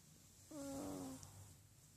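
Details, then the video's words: Miniature Pinscher indoors giving one clear, high, tonal whine lasting under a second, steady in pitch with a slight drop at the end, against a quiet room. "Min pin making noises"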